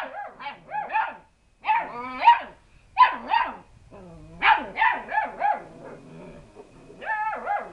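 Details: Young lurcher cross pups yapping at an unbothered cat, rapid high-pitched barks and yips with some whiny tones, coming in clustered bursts almost continuously.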